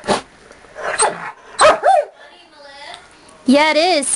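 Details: Pet Dachshund, aged 4, and blue Doberman, aged 5, in a playful mock attack: a person talks at first, then one short yelp and, near the end, a drawn-out wavering whine-bark.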